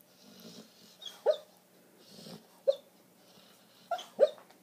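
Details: Border collie named Arya having a nightmare indoors, making muffled sleep noises: soft breathy huffs alternating with short sharp yips, about six stifled barks in bursts over a few seconds, quiet room otherwise.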